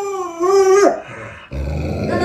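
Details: Alaskan Malamute, a pet dog at home, giving a drawn-out tonal howl-like vocalisation that holds steady then drops away, followed by a rougher lower-pitched growling moan.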